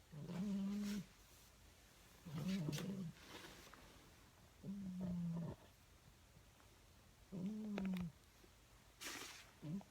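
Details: Cat dreaming in bed, snoring steadily: five low, droning snores roughly every two seconds, each about a second long with a faint wobble in pitch, quiet room between breaths.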